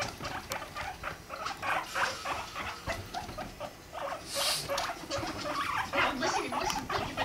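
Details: Rumply and five-month-old Fluff, guinea pigs, mating; quick crackling pulses repeat about three times a second, with a brief brighter chirp in the middle and low rumbling underneath.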